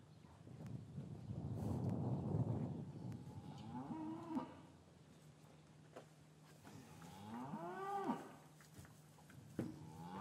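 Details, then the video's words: Cattle in an English cattle yard on a winter afternoon, calves separated from their mothers, recorded with a matched pair of Rode M5 microphones; a deep rumbling low then two rising-falling harmonic moos around four and eight seconds. "Cattle Yard - One Hour Ambient Sound"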